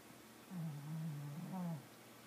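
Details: Pet cat asleep and snoring indoors; one drawn-out, low droning breath lasting over a second with a slight rise at its end, then quiet.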